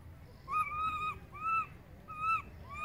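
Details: Baby monkey Berry crying loudly for its mother Beaker, who has moved far away: three drawn-out, clear tonal wails, each slightly arched and lasting about half a second, over a low rumble of background noise.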